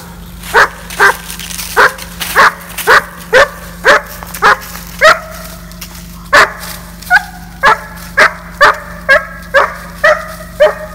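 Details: Georgia, a seven-month-old female German Shepherd in board-and-train off-leash obedience training near Atlanta, Georgia, barks in a loud, sharp run of about nineteen barks over eleven seconds, uneven in spacing, some with ringing tonal tails.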